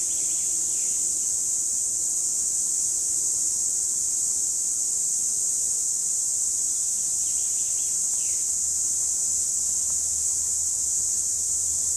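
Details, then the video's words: Steady, strident high whine of cicadas from 2017, unbroken and even for the full stretch, a few faint fainter chirps buried beneath it. "Цикады 2017 / Cicadas"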